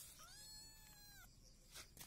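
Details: A kitten of mixed Peaknose and Javanese breed meows once during breakfast with its siblings in a village home, a single drawn-out, level, tonal mew lasting about a second, followed by faint clicks.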